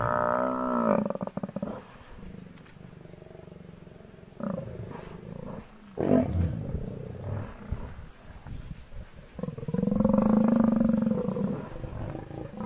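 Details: Hungry lions confronting an angry herd of buffalo; a loud harmonic moaning growl opens, then softer rumbles and thuds, and another long, strong, steady growling call swells near the end.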